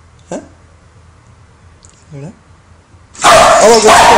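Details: Female Welsh Corgi reacting to a lighter, which she hates, indoors at home. A faint short yelp comes first, then a rising yip, then a loud harsh burst of barking and growling at the end, with people talking and laughing nearby.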